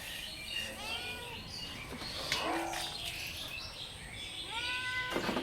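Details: Meows of a cat said to be in distress: two separate arched, whining cries about four seconds apart, with rustling, clattering noises and a person's voice between them.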